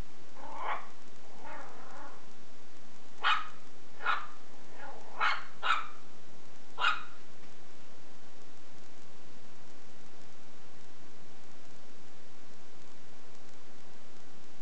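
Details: Shih Tzu puppy playing with a belt: soft grumbling yips at first, then a run of sharp high barks in the first seven seconds, followed by quiet hiss with no more barking.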